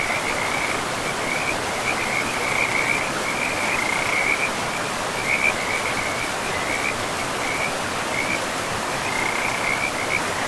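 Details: Along a river in a pristine forest, frogs keep up a run of quick trilling calls, some louder bursts standing out, while flowing water hisses steadily beneath.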